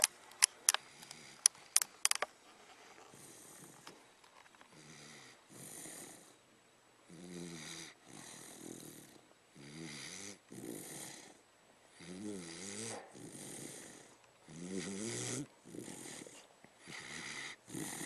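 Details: Milo, a pet dog, snoring while asleep: rasping, wavering snores repeat roughly every one and a half seconds, each a rough breathy rumble, after a few sharp clicks at the start.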